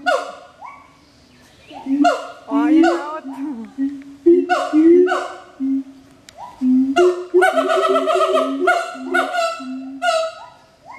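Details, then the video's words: Two captive siamangs in duet at Schmutzer Primate Center, Jakarta, Indonesia, April 2012 morning: booming rising whoops and sliding notes interleaved with sharp descending barks, building into dense, rapid overlapping calls. "Siamang Gibbon (Symphalangus syndactylus) Duet Song"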